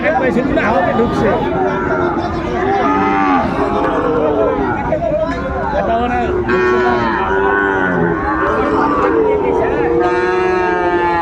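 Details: Calves of the Sahiwal breed lowing at a busy cattle market, 20 December 2024, as a Dhaka farmer shops; several overlapping wavering moos in a steady run, over continuous human talk and haggling.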